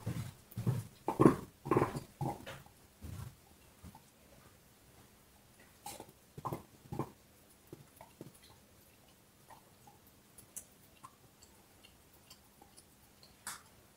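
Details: Dog chewing a bone, opening with loud crunching, gnawing bites packed close together for about three seconds, then thinning to sparse, softer clicks and occasional single bites.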